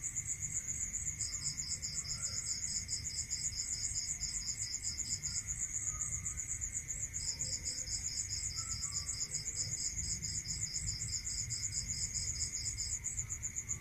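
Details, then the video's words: Cricket calling at night in a rural area: a dense, high pulsed trill repeating steadily throughout, joined by a second, slightly lower pulsed caller that drops out midway and returns, over a steady low hum. "Listening to Cricket Sound Natural meditation music"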